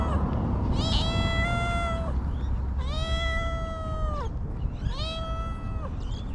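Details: Homeless stray cats in Ras Al Khaimah, UAE, meowing loudly: three long, drawn-out, harmonically rich meows, each about a second long and gently falling at the end, over constant low rumbling noise.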